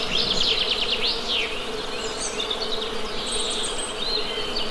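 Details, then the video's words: Continuous honey bee drone, an even mid-low hum, sits under busy birdsong: a fast descending trill near the start, then scattered high whistles and chirps. "Best Honey Bee Sound!"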